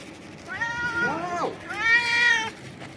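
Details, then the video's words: Stray cat screaming loudly in joy at food, two drawn-out harmonic meows, the first bending up then down, the second long and level, with faint background noise. "A stray cat jumps and screams loudly to express his joy at the food"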